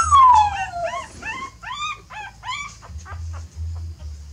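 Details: A mother dog is moving her young to a new nest, maybe because it is dirty. One long, falling whine opens, then a string of rising-and-falling yelps follows about every quarter second, over an intermittent low hum.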